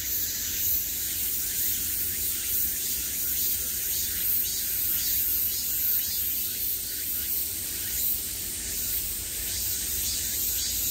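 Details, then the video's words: Midsummer cicadas filling the air from all around with a sustained, sizzling high drone that swells and eases slightly over about eleven seconds, with a faint low rumble underneath. "매미소리를 들으며 휴식. Cicadas's buzzing sound"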